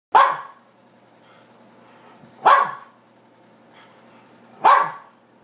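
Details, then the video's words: Camera-shy pet dog barking at its owner indoors: three sharp, loud single barks spaced about two and a half seconds apart, with quiet room tone between them. "barking at me"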